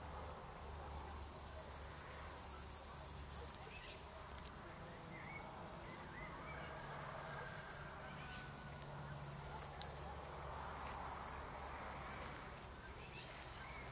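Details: Steady, high, rapidly pulsed shrilling from crickets fills the whole stretch, with faint bird chirps and a low droning hum, perhaps distant traffic.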